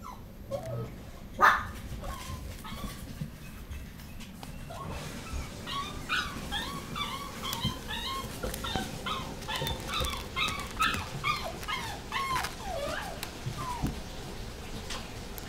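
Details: A Chihuahua–Toy Poodle cross dog, sired by a Chihuahua out of a Toy Poodle, whimpers in a long run of short, high, squeaky yelps repeated several times a second after a quieter start, over steady low background hum.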